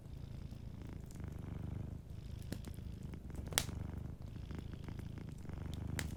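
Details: Gentle low purr of a sleeping cat, a rumbling drone rising and falling with each breath, accompanied by crackling firewood and one louder pop midway.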